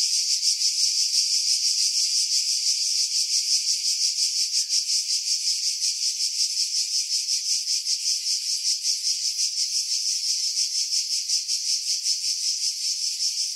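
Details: Loud cicada chorus from pines above Pefkos Bay, Skiros, Greece, July 2018, Sony RX3 recording with wind buffeting edited out; a continuous high sizzling buzz with quick, fairly even pulsing throughout.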